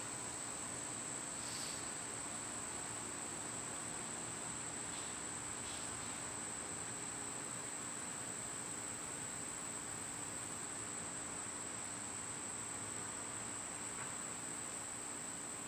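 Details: High, even droning of cicadas on a summer day, unchanging for the full length, with a few scattered faint short calls and a low background hum.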